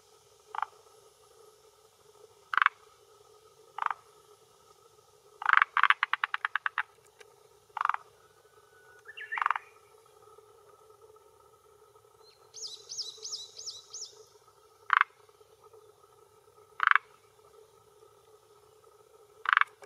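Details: Male forest green tree frog (Rhacophorus arboreus) calling with vocal sac beside a hillside pond in Japan, early June 2021 evening, claiming territory and attracting females; spaced short croaks with one rapid clicking burst, plus a high chirping insect or bird.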